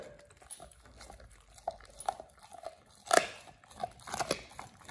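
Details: Pit Bull named Oliang gnawing a raw ostrich paw, his first one, fed as a teeth-polishing, jaw-exercise snack: scattered bites and crackles with a loud crunch burst near the middle, indoors.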